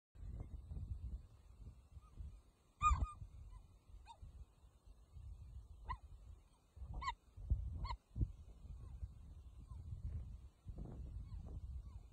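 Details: Female cheetah in the Serengeti, Tanzania, complaining as three males approach to steal her prey; short high chirps with bright harmonics, some bending downward, come at irregular intervals over a low rumbling wind-like background.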